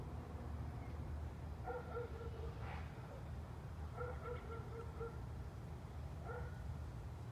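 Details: Neighbour's German Shepherd recorded on 10 June 2020, barking from a distance: three short bursts of hoarse barks spaced a couple of seconds apart, over a steady low rumble of background noise.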